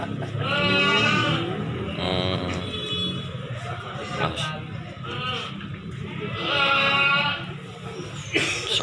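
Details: At the Silir animal market in Semanggi, Solo, where breeding does and kids are sold, goats give two wavering, nasal bleats near the start and another later, between bursts of people talking and general crowd noise.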